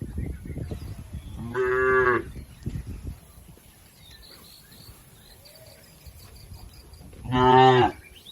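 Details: Cattle being herded across a river to their pen: two strong harmonic moos about five seconds apart, with thin bird chirps and rustling movement noise in between.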